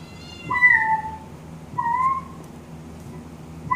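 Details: Pet cat responding to a synth-made cat sound with two downward-sliding meows about a second apart and a third one beginning at the close, over a low steady hum.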